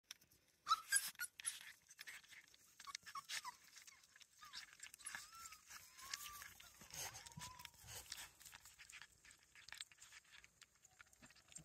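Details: Border Collie puppies (non-LOF) of the Domaine des Tourelles breeding kennel at their first meal in broad daylight; short, thin whines that arc up and down, scattered among sharp clicks and crunchy feeding noises.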